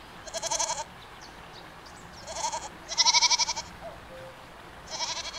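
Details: Four pulsing, wavering goat bleats, the third strongest with clear rapid tremolo, separated by gaps of one to two seconds over soft background noise.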